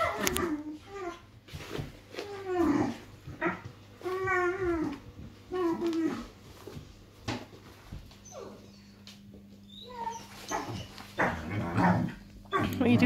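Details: Irish Wolfhound puppies aged five and a half weeks playing in a small room: wavering whines and gruff growling yelps come in bursts every second or two, with a steady hum between them.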